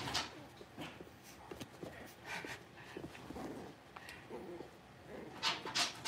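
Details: Six-week-old blenheim Cavalier King Charles Spaniel puppies, a litter of five, in an indoor home puppy pen; scattered short whimpers and yips among panting, shuffling and clicking noises, with a brief voice.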